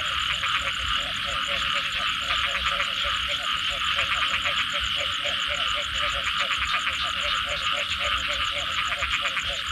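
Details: Chorus of frogs after rainfall, giving quick bursts of clicking, pulsed croaks about three times a second in irregular runs, over a loud, constant shrill insect hum.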